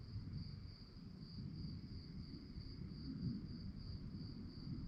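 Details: Night-time cricket chorus: an even, rapidly pulsing high-pitched chirp holds steady throughout, over a soft low rumbling background.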